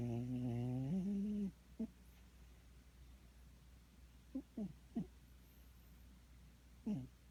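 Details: Sleeping cat snoring: one long, low, buzzy drone with rich overtones lasts about a second and a half, dipping in pitch midway, followed by several faint, brief squeaky blips in a quiet room.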